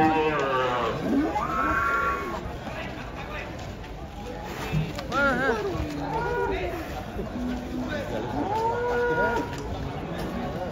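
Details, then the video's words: Cattle unloaded from a truck give a series of wavering, bending moos that rise and fall, some higher-pitched and strained, amid people's voices and background bustle. "KUMPULAN SAPI LUCU UNIK TURUN DARI TRUK SERU SEKALI"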